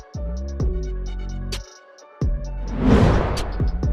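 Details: Only music is heard: deep bass tones, sharp percussive hits and a rushing whoosh, with no animal voice.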